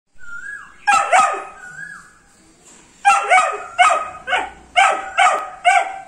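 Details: A 78-day-old Dobermann Pinscher puppy gives two high, falling whines, then barks sharply. The barks come in a pair and then in a run of about seven, closely spaced and yappy, with quiet room background.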